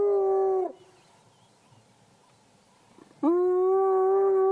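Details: A spotted hyena sitting in long grass beside a road in Africa gives two loud, hollow whoops, each swooping up into a long, steady, slightly nasal tone.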